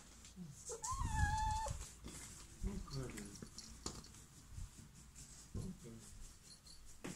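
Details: Russian Blue cat indoors in Portugal giving one drawn-out meow that rises and then holds steady, near the start. People talk in Portuguese across the rest, with soft household noises.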